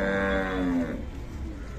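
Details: A Khillar cow lows at the Sangola cattle market in Solapur district on 28 April 2024. The moo is short and steady, under a second, and dips slightly at the end before fading into the market's background hubbub.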